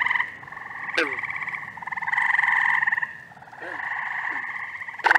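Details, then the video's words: Frogs in upstate New York in the first week of June: several overlapping pulsed trills rising and fading in waves, occasional short twanging notes beneath, and a sharp click near the start. "Frog Orchestra. Treefrogs! Toads! Peepers! Green frogs!"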